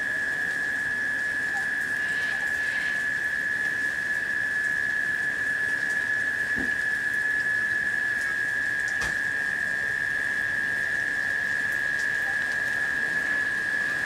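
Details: Steady cicada humming in late-summer rain, an even monotone drone sustained from start to finish beneath a wash of rain noise, broken only by an occasional faint tick or knock.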